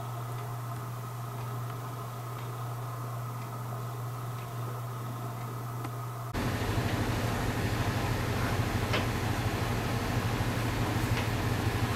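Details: Steady low electrical hum and fan-like whir fill a small indoor room, with faint ticks, and the background grows louder about halfway through.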